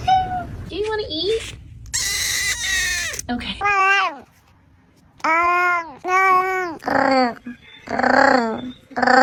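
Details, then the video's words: Domestic cats from a compilation of goofy pets making funny sounds: a string of drawn-out, wavering meows, several arching up then sliding down, a harsh noisy burst early on, brief pauses between calls, indoor setting. "Goofy Cats Making Funny Meow Sounds"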